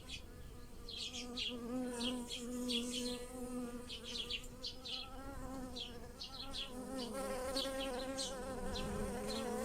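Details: Bees pollinating blossoming lilacs in a garden hum steadily and low while small birds chirp brightly and rapidly in the background.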